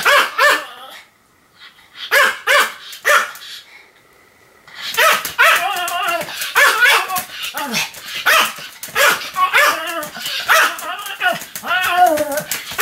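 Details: Sam the Pomeranian in a bout of nonstop barking, 7 October 2015: a few sharp yaps, a quiet gap of about two seconds, then a dense, unbroken run of high, excited barks to the end.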